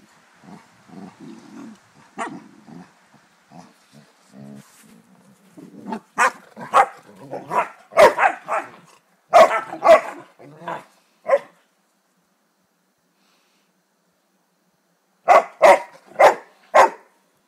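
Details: Bernese Mountain Dog puppies at play produce a scrappy run of yaps and growly grunts that builds into loud sharp barks. After a silent gap, a final burst of four quick barks follows.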